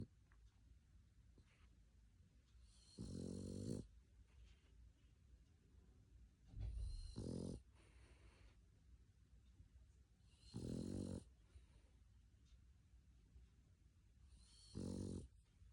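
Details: A sleeping male dog snoring: four loud, harsh, buzzy snores roughly every four seconds, each lasting under a second, separated by quiet low breathing.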